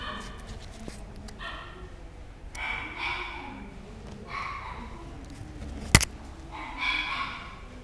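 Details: Chihuahua barking in separate harmonic bursts roughly every one to two seconds, each bark short and bright, with a sharp click near six seconds and a low murmuring background throughout.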